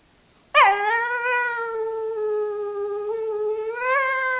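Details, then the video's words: Female Jack Russell Terrier singing her request to get onto her owner's lap: one sustained, tonal whine starting abruptly, sliding briefly down and then holding an even, slightly wavering pitch for nearly four seconds, rising a little at the end. "Song of the Jack Russell"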